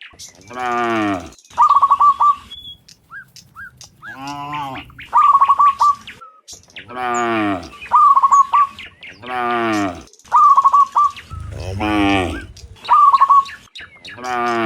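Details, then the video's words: Dozens of cows mooing in the afternoon while returning from the fields to the pen: long, low, harmonic moos recur every few seconds, with quick bursts of bright chirping bird calls between them. "Sound Dozens of Cows Mooing in the Afternoon Returning from the Fields to the Pen, the Sound of Cows"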